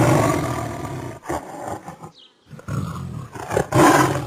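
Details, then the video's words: Tiger roaring in long, grating, low-pitched bursts, a short silent break in the middle, then a renewed loud roar building at the close. "Ouça o Som de Tigre Rugindo - Tiger roar"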